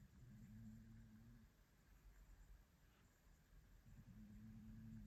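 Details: An adult Maine Coon cat sleeping on an armchair on a Monday morning snores softly, with low, buzzy rumbles on each breath.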